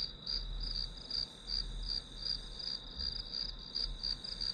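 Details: Shrill, evenly pulsed chirping of grass insects, about three pulses per second, carried on a bright high tone above soft low-frequency room noise.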